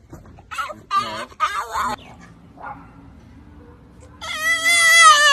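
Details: French Bulldog making squeaky sounds while out walking with its owner: short harmonic squeals in quick bursts, then a longer, louder wavering high whine at the end.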